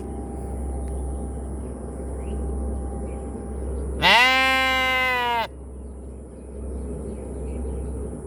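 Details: Sheep giving a single loud bleat of about one and a half seconds, a wavering harmonic baa that dips then holds steady, over a constant low hum and faint background hiss.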